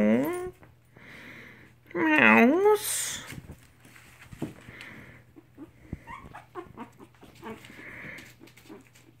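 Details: Mixed Chihuahua puppies, three weeks old, beside their mother: a wavering, rising whine opens, then a louder quavering cry near two seconds, followed by softer scattered squeaks. A human voice and a low hum are also heard.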